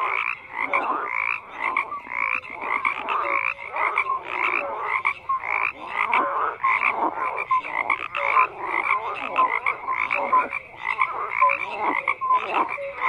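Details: Numerous frogs fill the night with a constant chorus: grating pulsed croaks come in rhythmic bursts, punctuated by brief clear hoots at varying pitches, with no other sounds present.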